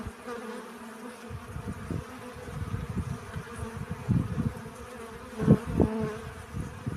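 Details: Pollen-gathering honey bees buzz in a low, droning hum that starts after a quiet first second, with repeated close fly-bys and a sharp loud pass near the fifth second.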